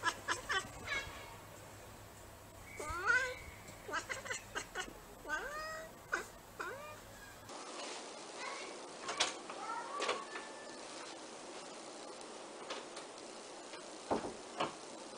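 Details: Bengal cats and kittens at home give a run of short, rising and falling meows, some chirpy and bent, repeated in bursts over a faint hum, with clicks and handling noises later.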